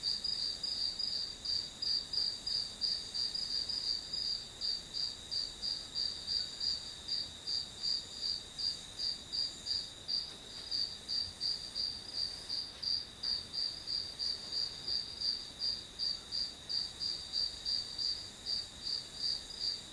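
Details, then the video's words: Long run of grass insect sound for a study session: a thin, piercing pulsed trill holding one high pitch, repeating near three times a second without pause over faint ambient hiss. "풀벌레 소리"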